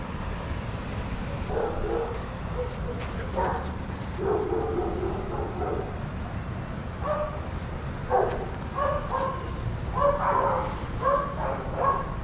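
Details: Adoptable shelter dogs playing together at a daycare, giving short harmonic barks scattered through the recording, some in quick pairs and triplets, over a steady low rumble of room noise.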